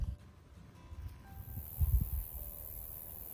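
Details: Roesel's bush-cricket sings outdoors in a green landscape full of grasshoppers, a steady, thin, very high buzz running on without a break, over low wind and handling rumble; such crickets stop singing when approached.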